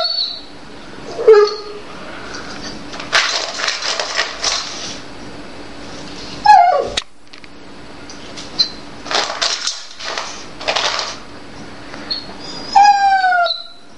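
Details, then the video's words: A Dobermann named Jade cries and complains indoors, refusing her food and wanting another, tastier one. Several short, sliding harmonic whines are scattered between bursts of rustling and clattering noise, with a final longer whine near the end. "Jade - dobermann - quer outra ração"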